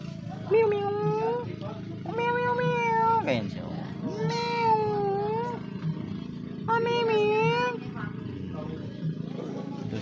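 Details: Pet goats kept by their owner, giving four drawn-out, steady-pitched bleats about a second long each, spaced irregularly, over low background hum and faint voices.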